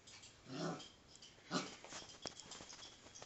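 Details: Five-week-old female Alaskan Malamute pup playing with her father indoors: two short, tonal whimpering bursts about a second apart, the second sharper, among scuffling and knocking play noises.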